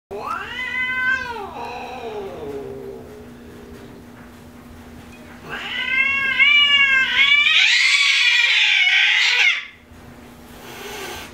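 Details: Spayed female tabby cat, a household pet that turned aggressive after being fixed, throwing a fit indoors: loud wavering yowls rising and falling, then a harsh noisy hiss-like burst of about two seconds, with a steady low electrical hum throughout.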